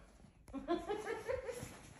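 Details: German Shorthaired Pointer dog jumping onto the bed beside its sleeping owner, being affectionate indoors; a short run of soft, nasal whimpering whines, four or five brief tonal pulses wavering up and down over about a second and a half, in a quiet room.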